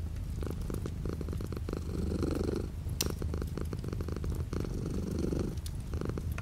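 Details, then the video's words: Cat purring indoors while light rain falls outside the window; continuous deep, throbbing rumble that swells and eases with alternating breaths, plus faint crackling raindrop taps. "The sound of a cat purring with light rain outside the window."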